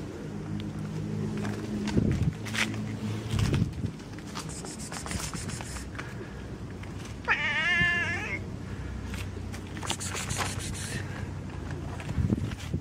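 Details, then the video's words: Fluffy kitten playing with fingers, meowing and purring: a low steady purr rumble runs throughout, broken by a clear wavering meow near the middle, with rustling and handling noises around it. "Chaton moelleux miaule ronronne et joue avec mes doigts"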